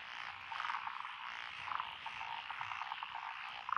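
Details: Dense frog chorus from lotus rice paddies in Echizen, Fukui, Japan, recorded June 12, 2021; tree frogs and pond frogs call together in a steady trilling wash, with a few sharper croaks standing out briefly.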